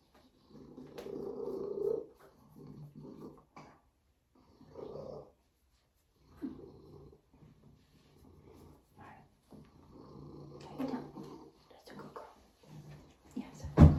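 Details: Binah the female Savannah cat purring in short, separate rumbling bursts broken by silent pauses, low and coarse in tone, ending with a sharp knock.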